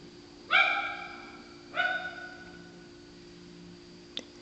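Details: Two separate hoarse, honking barks from a female dog that sounds like a sea lion, recorded at night, followed by a sharp click and a low steady hum.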